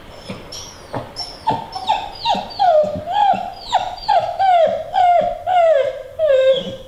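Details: Female American Pit Bull Terrier whining eagerly to be allowed on a treadmill; a run of high, wavering whines and yelps repeated about twice a second, each sliding downward, loud and insistent throughout.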